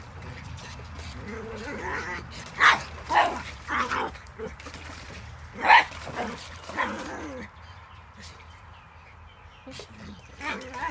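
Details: Pug barking while keeping a Cairn terrier out of the water; short sharp barks and yips in irregular bursts around the third to seventh seconds, with people talking nearby.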